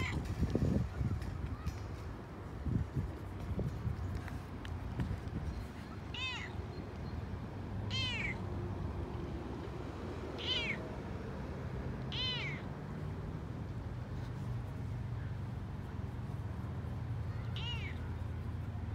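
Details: Toyger cat named Frodo, excited and chatty on a walk he loves, gives five short, bright arched meows spaced about two seconds apart in the second half, over a steady low rumble and some scuffing early on.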